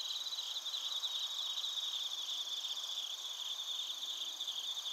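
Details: Bell crickets and crickets in Narita, Chiba, Japan, captured on a TASCAM Portacapture X8, form a dense, unbroken high-pitched trilling chorus with a fast shimmering pulse and no pauses.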